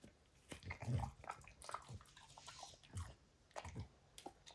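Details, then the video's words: Indoors, the pet dog Max works over a baseball hide: muffled gnawing crunches and low thumping bites at uneven intervals, separated by short pauses. "DOG CHEWING"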